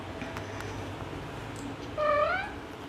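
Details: Domestic cat talking with its humans, giving a single loud meow that rises and then falls with rich harmonics, after a quiet background hum.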